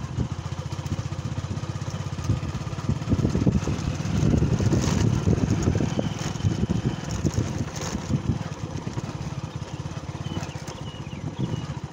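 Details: A motorcycle engine idles and revs close by, with brief voices and no animal calls.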